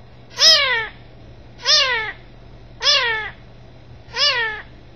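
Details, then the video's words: Kitten meowing: four clear, rising-then-falling meows, each under half a second, spaced about every 1.3 seconds, with a faint steady low hum underneath and no other sounds. "Kitten Meowing"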